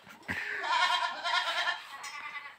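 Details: Boer goat at a village goat farm, kept for crossbreeding with a young goat; one long, loud, quavering bleat with a strong harmonic stack lasts about a second and a half, then fades into a quieter trailing tail.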